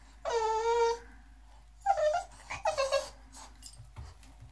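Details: Miss Lucy, an English Bulldog, Boxer and Pug mix pup, wanting into the tub with her owner: a long high whine, then a few shorter rising and falling whimpers indoors.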